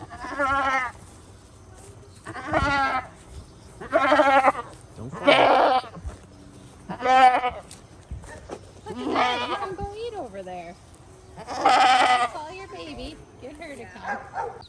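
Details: A run of about eight wavering goat bleats on a portable goat farm, roughly one every one to two seconds, varying from short and nasal to longer and shakier, with faint low background noise between calls.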